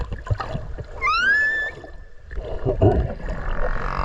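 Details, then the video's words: Whale call underwater off Okinawa, recorded close to the animal while swimming: one rising whistled note that levels off and holds briefly, followed by bubbly water noise and a faint hiss. "クジラの鳴き声 〜海の中の神秘のメロディ〜"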